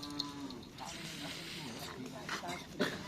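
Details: Cattle during karapan sapi bull race practice at Asemanis, Pamekasan. A short, low moo opens the clip and soon fades under crowd chatter, rustling and a sharp knock near the end.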